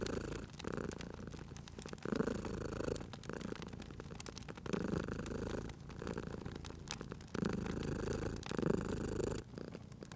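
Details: Cute cat sleeping by a crackling fireplace, purring steadily in rumbling low pulses that swell and fade about every one and a half seconds, with sharp pops and snaps of burning wood throughout.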